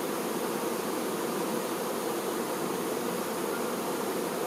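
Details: Honey bee workers tending their queen, a dense steady hive buzz with a low hum band and fine hiss above, unbroken and even in loudness throughout.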